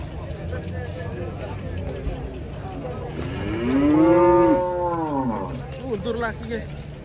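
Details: Cattle coming off a truck; one clear, strong moo swells and arches downward in the middle, with quieter lowing before and after and a low rumbling engine underneath.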